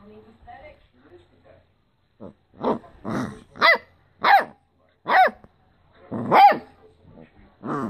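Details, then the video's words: A Basset Hound puppy about 9 weeks old gives a string of high, yelping barks with brief pauses between. "Basset Hound Puppy Barks"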